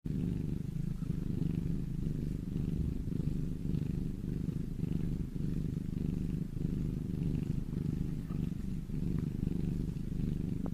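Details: A domestic cat purring steadily: a continuous low rumbling drone without pauses, close to the microphone, with no other clear sounds.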